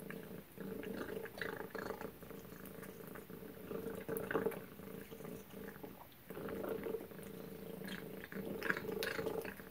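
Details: At suppertime, house cat Tacy eats Tiki Cat Gourmet Carnivore chicken and duck; a low, even purr pulses in long swells with short breaks, accompanied by soft mouth clicks and occasional light clatter.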